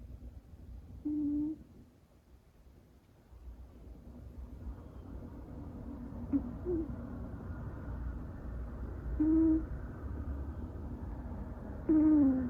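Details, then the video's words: Younger sister cat sleeping buried against a person's back makes soft, whistling snore notes, short and level-pitched, roughly every three seconds, over a low indoor rumble. "背中に埋まって寝る妹猫から可愛い音が聞こえてきましたCute snoring cat"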